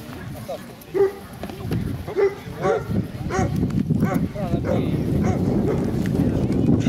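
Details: Central Asian Shepherd Dogs at a club breed show in Kyiv (Krasylivka), 28 September 2019, open class bitches; a few short, deep barks near the start, then overlapping speech and crowd murmur.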